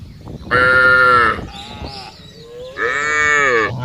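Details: Cows in a field give two drawn-out, richly harmonic moos, the first steady and the second slightly wavering, with a softer, lower call between them.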